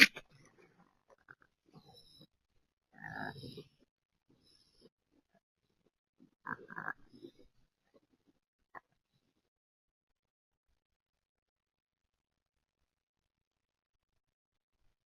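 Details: Raccoons trade two short bursts of harsh, grunting chitters, a rare, strange sound, in a brief disagreement over sharing catfish nuggets.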